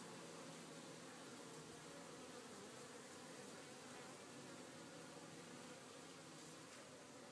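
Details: Honey bees on a farm resuming their work after a day of rain and rest, a dense continuous droning hum of many bees with steady buzzing overtones and no pauses.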